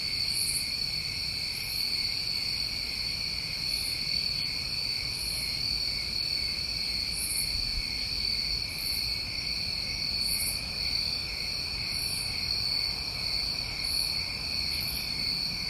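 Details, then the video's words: New England crickets on a summer night: dense continuous high-pitched trilling with two stacked bands, plus soft higher pulses recurring roughly every one and a half to two seconds throughout. "Tinnitus Masking With Crickets"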